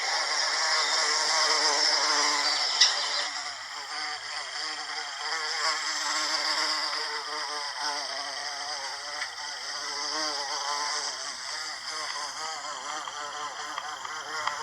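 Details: American bumblebee (Bombus pensylvanicus) pollinating Salvia clevelandii flowers: a steady buzzy drone with stacked overtones that waver up and down in pitch, loudest early on, with faint high chirps in the background.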